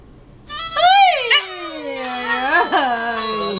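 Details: A pet dog named Negro howls along to a Mexican song. A long, wavering howl rises, then slowly falls and bends over the music. A person speaks in Spanish just before.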